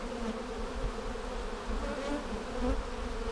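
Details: Honey bees in a hive during an inspection for queen cells, seven days after a vertical split with a double screen divider board, March 10, 2019. A steady low droning hum with layered overtones runs throughout, broken by occasional dull thumps and handling knocks.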